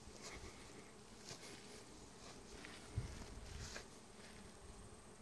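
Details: Bees buzzing in summer in Vermont: a low, rough drone with a brief louder thump near the middle and faint background hiss.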